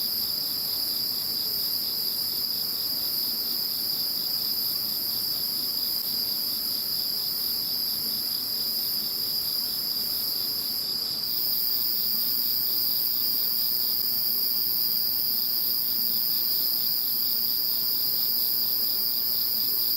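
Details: After Typhoon No. 21 has gone, many insects keep up an unbroken high-pitched trilling chorus, layered steady tones with a soft rhythmic pulse, one upper band shifting midway through.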